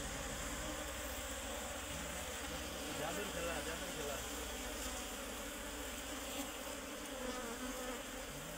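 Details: Honey bees, called sereno bees locally, at a nest inside a tree that is being cut open; a dense, steady droning buzz runs throughout, with faint rising whines and a low hum underneath.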